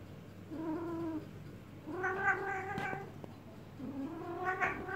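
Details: Domestic cat in heat yowling while being massaged to calm it: three long, drawn-out, richly harmonic wails, each rising then holding steady, separated by short pauses, with quiet room noise underneath.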